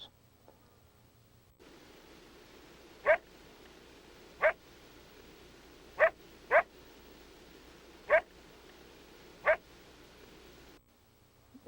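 A coyote gives loud, coarse aggressive barks, single sharp blasts spaced a second or two apart.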